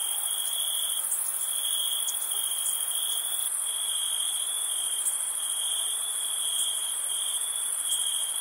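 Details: Night crickets in summer keep up a nonstop high-pitched trill, joined by short brighter chirps now and then and a sizzling upper layer of many insects calling together.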